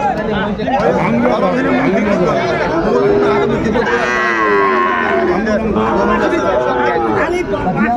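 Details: Sahiwal bull calves for sale at Ambari market, Dinajpur, on 28 March. Drawn-out lowing with a rising and falling harmonic call near the middle, heard through constant crowd talk and haggling over prices.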